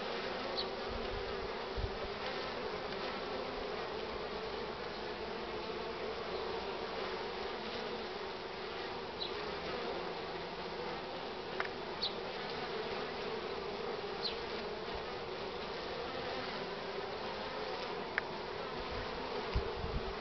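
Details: Honey bees crowd the hive entrance carrying full pollen loads on a sunny but cool morning, 24 March 2019, 9:45; a continuous even colony hum with brief higher whines of individual bees flying past.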